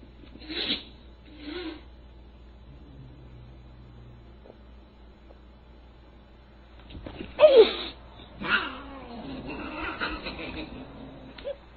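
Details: A Siamese cat gives harsh, wavering yowls and hisses during a fight: fighting.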